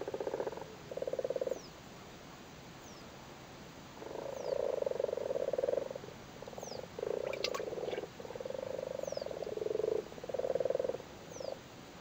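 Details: Low pulsed purring croaks from spawning frogs crowded in a flooded cattle grid in Cork, Ireland. Long overlapping bursts run almost continuously through the second half, with a brief click-like sound mid-clip.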